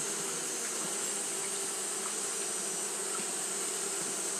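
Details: On a hot day, Japanese honey bees keep fanning: a dense, unvarying buzz with deep humming bands and a thin high-pitched shimmer over it.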